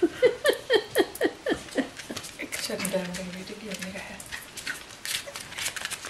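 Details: Bichon Frisé puppies from the V litter at a Danish kennel: a quick run of high, downward-sliding yelping whines, about two each second, fading into softer whimpers over a low, steady, voice-like hum.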